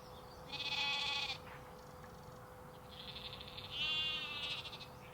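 Two high, quavering lamb-like bleats from sheep, each about a second long, separated by a brief pause.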